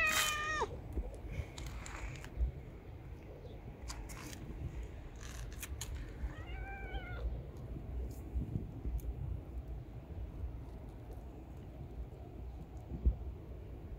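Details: Stray mother cat with her three kittens, each a different coat colour: two short meows, one falling at the start and an arched one near seven seconds, over a steady low rumble of street noise and scattered clicks.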